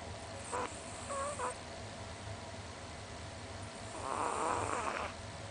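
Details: Small pet Chihuahua, about 20 cm tall, asleep with tongue out and twitching, snoring loudly, recorded close up: short whistled nasal squeaks, then a longer rasping, whistling snore near the end over a steady low room hum.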